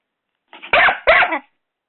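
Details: Doberman puppy Rocco, six months old, attacking the hairdryer: two loud, rough barks in quick succession, each about a third of a second, in a small room.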